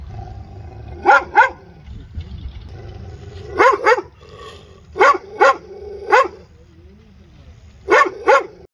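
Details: Dog giving sharp barks, mostly in quick pairs with an occasional single bark, roughly every one to two seconds, against a low background rumble.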